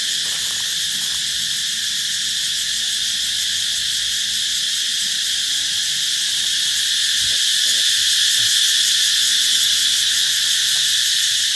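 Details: Cicadas droning loudly ahead of summer, a continuous high-pitched buzz that swells slightly toward the end, with faint scattered low clicks beneath.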